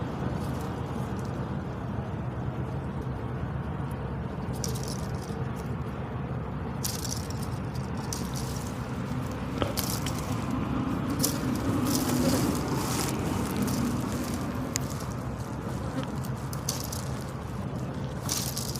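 A water buffalo flaps its ears, making a dry, rapid, rattling percussive sound over a low rumble.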